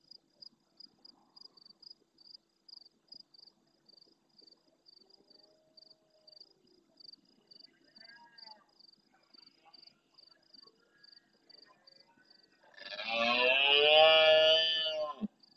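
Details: Large male red deer in the marsh of Doñana National Park, El Rocío, Huelva, Spain, roaring close to a fixed camera at nightfall during the rut. Steady pulsed cricket chirping fills the first twelve seconds, then one loud, rough, harmonic roar bursts in near the end.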